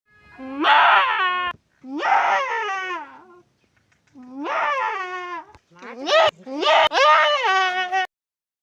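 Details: Goat crying while giving birth, delivering two kids: five loud, strained, wavering bleats, each rising then sagging in pitch. They last about one second each with short pauses between them, and the last two come close together.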